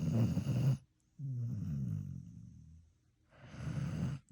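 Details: Pet dog snoring: a rough low snore, then a long, smooth, humming breath, then another raspy snore, with quiet gaps between.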